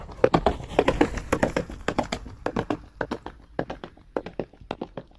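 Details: Horse running at a gallop: dense, sharp hoof strikes, some in quick doublets and triplets, thudding across a broad range with no voice, loud and close throughout.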